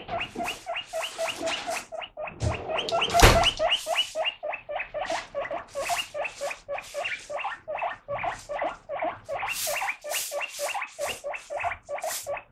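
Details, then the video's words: Pet guinea pig excitedly calling while lettuce is washed: rapid series of short squeaky wheeks, about four per second, with a louder rustling burst near the start. "【鳴き声】レタス洗ってるとプイプイ大騒ぎになるモルモット PUI PUI Guinea Pig"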